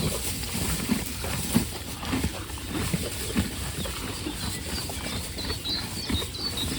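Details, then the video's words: Hay being eaten by horses as they wait for better grass: rhythmic crisp crunches, roughly one and a half per second, over constant rustle. Light bird chirps come through toward the end. "The relaxing sound of horses eating"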